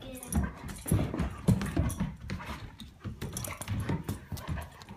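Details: Great Dane puppy play fighting with a Komondor: low, rumbling growls and grumbles in irregular bursts, with panting and scuffling of the two dogs indoors.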